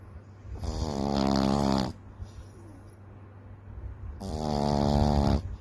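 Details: Loud snores from Daisy Fay, a little Frenchton puppy (Boston Terrier French Bulldog mix), asleep inside: two rough, vibrating snores lasting over a second each, with a faint breath sound between.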